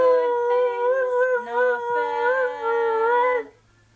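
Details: ['A sustained, slightly undulating howl from Merlin, a pet Australian Shepherd x Border Collie singing a duet with its owner. Short low human notes slip in partway through. Silence follows at the end.']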